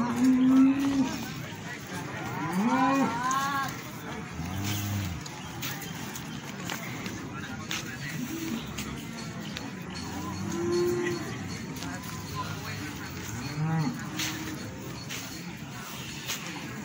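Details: Limousin cattle for sale at the Plaosan cattle market in Magetan: a handful of short, nasal moos at irregular intervals, some rising then falling, amid constant crowd chatter and market bustle.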